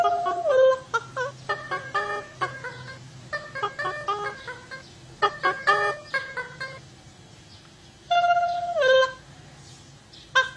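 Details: Otters calling: a series of short, harmonic, chirping squeaks in quick bursts, with two longer whistled notes that hold steady and then drop, near the start and again at about eight seconds.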